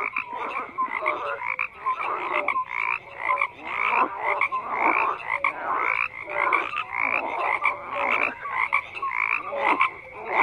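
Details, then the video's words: A thick frog chorus with croaks pulsing roughly once a second, overlapping voices layered together and brief clear whistled notes standing out over the steady rasping mass. "FROGS CROAKING"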